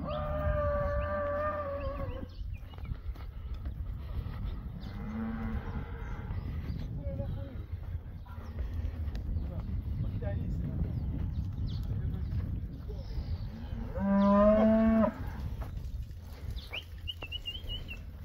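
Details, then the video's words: Beefmaster cattle, a herd of 24 first-calf cows with their 24 calves. A drawn-out, fairly high-pitched moo opens the recording, followed by a loud, rich, slightly rising moo near the end, over a steady low rumble throughout. "24 Beefmaster 1ste kalf koeie met 24 kalwers"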